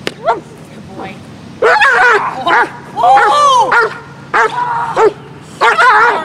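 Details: Aggressive dog, not at play, letting out sharp, ringing barks in clusters of two or three, separated by short quiet gaps over a low background hum.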